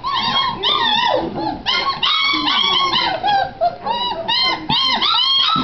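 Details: Several Great Dane puppies, recorded 01-27-09, crying loudly in high bent whines and squealing yelps, calls rising and falling in rapid overlapping succession throughout.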